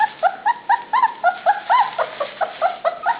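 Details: Puppies penned together at dinnertime give a rapid run of high, tonal whining yelps, each short and slightly arched in pitch, about four to five per second, steady and insistent with little background noise.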